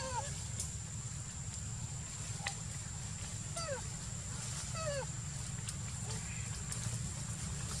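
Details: Rose, a wild pig-tailed macaque in Cambodia, around the time she gave birth to a son on 30 June 2020. Brief, falling whistled squeaks recur at irregular intervals over a steady high insect-like buzz and a low rumbling background.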